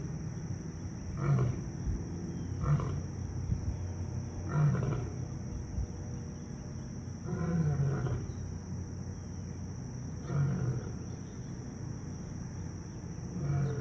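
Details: A male African lion (Panthera leo) at a zoo, whose roars carried throughout the zoo, gives a series of deep, grunting roars spaced a couple of seconds apart.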